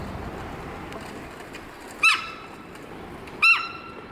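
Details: At Sapporo Maruyama Zoo, the 15-year-old Hokkaido sika deer female Amanda gives loud warning calls after sudden alarm; a pair of brief, shrill whistling yelps roughly one and a half seconds apart amid faint hum.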